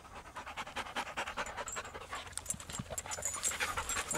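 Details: Patterdale/Lakeland cross, a young male on his first walk, kept on a lead while meeting other dogs; rapid breathy panting pulses repeat quickly throughout, with a person talking around it.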